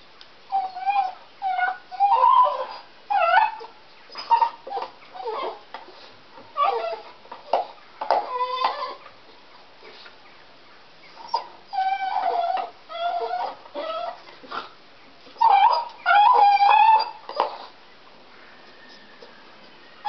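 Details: A deaf dog whimpers as it chews a stick, unable to hear itself: a long series of nasal, wavering whines and yelps in uneven bursts, some rising and dipping, with quiet gaps and faint gnawing between them.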